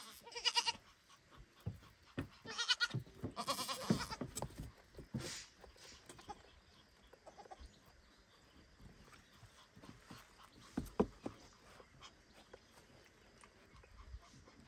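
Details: Baby goat calling repeatedly for its mother at the barn, three short wavering bleats in the first four seconds, then mostly scuffling, knocks and quiet rustling.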